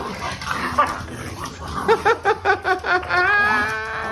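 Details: Pug puppies at play: a muffled scuffle, then five quick yips in a row and a long wavering whine, with rustling background noise throughout.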